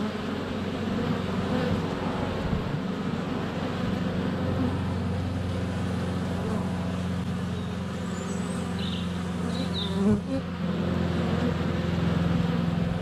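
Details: Honey bees in flight at a hive entrance on a sunny February day, filmed close up with a GoPro Hero 7 Black; dense steady droning hum with low tones, a faint high bird chirp near the end and a thump at ten seconds.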